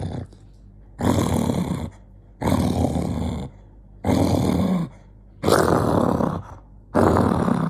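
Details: Angry dog named Jonggi, loud raspy growl-snarls in long bursts of about a second, repeated roughly every one and a half seconds.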